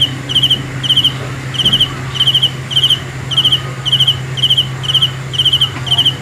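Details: Cricket, Lao maeng chi nai, giving evenly spaced buzzy chirps, each a fast train of high pulses, nearly two every second, against a faint continuous low hum.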